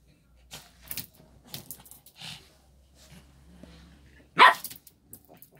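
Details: A single sharp, loud bark from Lotto, a pet Shih Tzu, comes after several seconds of faint rustling and clatter, followed by quiet small knocks.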